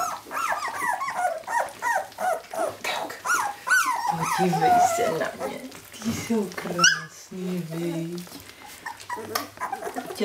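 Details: Jämthund puppies at a kennel in 2012, a run of rapid high squeaky whines and yelps, some lower growly sounds midway, with a person's voice faintly heard.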